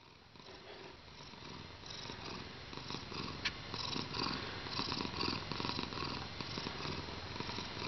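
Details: Pepsi, a heavy 7.3 kg domestic cat in a good mood, purring contentedly indoors: a steady rapid rumbling throb, broad and continuous, with faint room noise.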